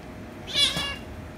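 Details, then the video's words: Rescue kitten and ginger kitten, the rescue kitten made angry before a later kiss and lick: a single shrill, strained cry of about half a second, high and harsh, against faint room noise. "Cats Meowing"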